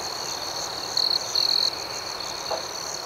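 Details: A high, steady cricket trill at night, broken by two short louder chirping bursts in the middle, with a fainter pulsing chorus of other crickets behind.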